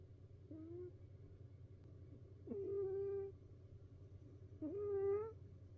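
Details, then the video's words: A house cat's snoring in a multi-cat household: three squeaky, nasal tones, roughly two seconds apart, with the later breaths longer and steadier, over a constant low background hum. "猫だってたまらん！いびきから逃げ出す猫Cat snoring."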